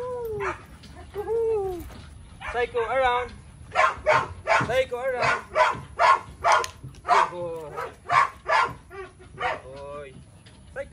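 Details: Belgian Malinois called Psycho gives two drawn-out descending whines, then a steady series of loud harmonic barks about one every half second, mixed with someone giving short commands.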